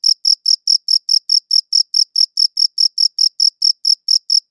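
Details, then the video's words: Cricket chirping captured with a good audio recorder: a clean, high-pitched chirp repeated steadily about four times per second, each short pulse bright and sharp, with no other sounds in the background. "Cricket Chirping Sounds"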